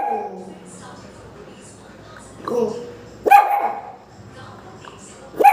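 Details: Pomeranian puppies start barking for no apparent reason, giving sharp, high-pitched barks a couple of seconds apart over a quiet background.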